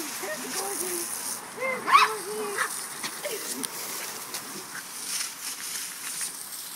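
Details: A corgi biting at water from a hose gives short, high, yelping barks in quick, uneven bursts over a steady hiss of spraying water, with a human voice possibly mixed in.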